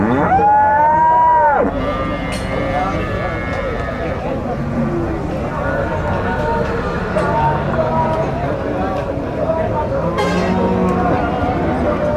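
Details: Gyr cattle at a Tiangue livestock market in El Salvador: one loud, high, drawn-out moo with rich harmonics opens, falling off after about a second and a half, then a busy wash of overlapping lowing, human chatter and market din.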